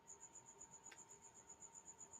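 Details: A cricket in a room gives a high, thin chirping, a rapid, even series of pulses about eight a second, over a faint steady hum with one soft click; it stopped when yelled at, then resumed.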